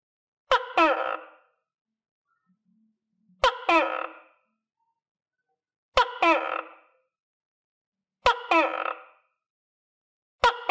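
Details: Captive tokay gecko fed crickets, sharing housing with other tokay geckos; sharp click followed by a harsh, two-syllable bark, repeated five times at roughly two-and-a-half-second intervals in a quiet setting.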